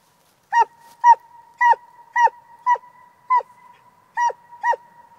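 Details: Eight clear, evenly paced barks from a coonhound, each short and ringing at the same mid pitch, roughly two per second, against a quiet background.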